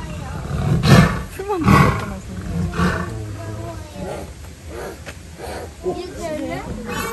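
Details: An enraged Siberian tiger, ambushed by another tiger, gives deep, harsh roaring bursts heard from about a metre away behind wire mesh, with people talking afterward.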